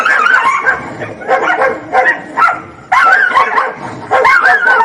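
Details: Fighting dogs: rough, throaty snarls and raspy barks overlapping in rapid bursts, with a short lull near the third second before loud snarling resumes.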